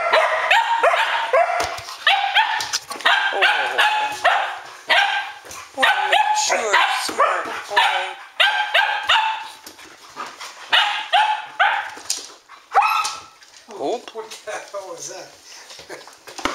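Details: Arreau Standard Poodles, nicknamed the Dingbats, in a midnight frenzy on 12 August 2014, several dogs playing together. Dense, loud barking in quick clusters fills most of the recording, easing into higher yips and whimpers near the end.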